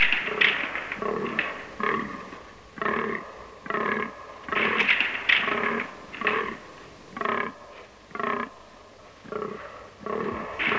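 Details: Rutting fallow deer bucks in autumn in a Romanian deciduous forest give hoarse, belching groans, roughly one per second, in short uneven bursts.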